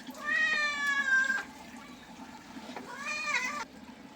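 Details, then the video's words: A cat in the bath lets out two long, plaintive meows, the first steady and sliding down at its end, the second shorter and wavering, with running water faintly behind. "Cat bathing videos"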